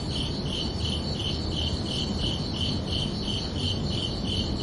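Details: Night crickets in summer calling in an even, rhythmic series of high chirps, roughly three per second, backed by a continuous low hiss and rumble.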